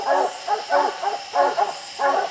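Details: Dogs bay up at treed raccoons on a steep hillside. Short, hoarse barks repeat about every half second in an uneven chop, moderately distant and overlapping, with faint hiss behind.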